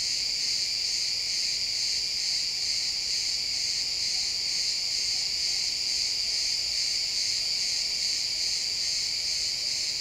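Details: At sunset in a pine forest, a chorus of crickets trills without pause in XY stereo, high and shrill, the pulses blending into a seamless wall of chirping at constant volume.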